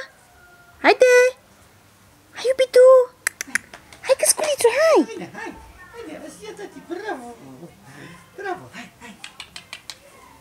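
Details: Caucasian Shepherd Dog puppy, a male son of Madera and Nox, giving high whining yelps and squeals with rising and falling pitch, in bursts between pauses, while a person speaks softly nearby indoors.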